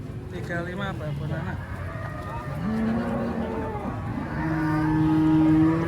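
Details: Cows unloaded from the first truck at a crowded spot in Indonesia low in deep, level drawn tones, a longer moo swelling at the close, over a steady engine hum and faint voices.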